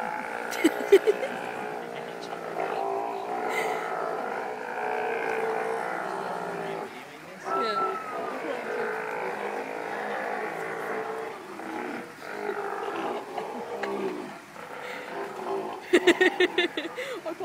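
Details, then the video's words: Two rival sea lions at the Vancouver Aquarium in a burp-off, one chasing the other off the pier; long, low, droning burp-like rumbles with a steady layered tone, broken by short sharp knocks, with people talking nearby. "Burping Sea Lion's"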